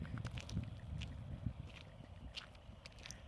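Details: A low rumble like wind or distant traffic fills the recording, with faint scattered ticks and clicks above it. No animal call stands out.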